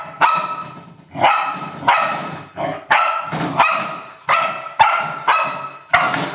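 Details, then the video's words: Old English Sheepdog at play with a trash can, barking in regular loud, resonant bursts about every half to one second, with sharp onsets and echoing decay. "Old English Sheepdog having fun with trash can"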